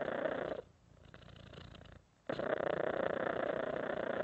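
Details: Short stretch of a pet cat's rumbling purr: a loud buzzy phase, a subdued pause of about one and a half seconds, then the purr resumes at full strength.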